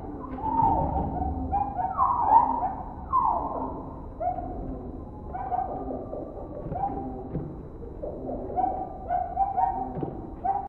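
Indri song: loud, eerie wailing notes that swoop downward, overlapping in a chorus of voices.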